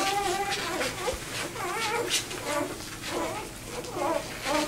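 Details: Vizsla pup just two days old, separated from its six littermates and trying to find its way to its mother, gives repeated thin, wavering whines in short bursts, some rising then falling, over background hiss.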